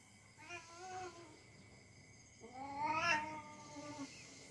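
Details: Cat in playful fight with a young dog, giving a short harmonic yowl followed by a louder, longer wail that swells and slowly sinks over about two seconds, amid soft rustling.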